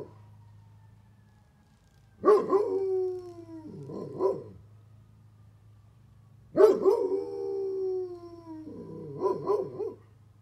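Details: Bear, a Great Pyrenees, howls at a fire truck siren, trying to match its tone: two long wavering howls about four seconds apart, each sliding downward and breaking into shorter quavering notes, with a faint high siren tone in the background.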